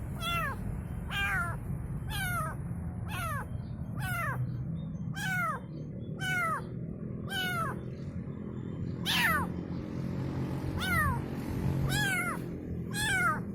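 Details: Kitten calling its mother: short, high meows repeated about once a second, each sliding downward, a steady run of eleven or so calls over a low background rumble.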